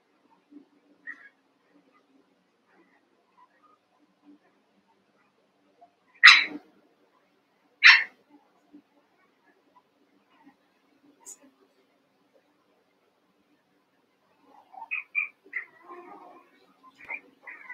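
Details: Young Cavalier King Charles Spaniel puppies, eight together in the Red Barn puppy pen, wrestling and playing: two sharp, high yipping barks about a second and a half apart, then a cluster of soft squeaky whimpers and yelps near the end.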